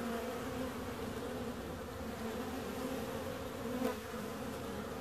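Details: Bees produce an unbroken, even humming drone with several steady tones stacked together. One short sharp buzz stands out just before the fourth second.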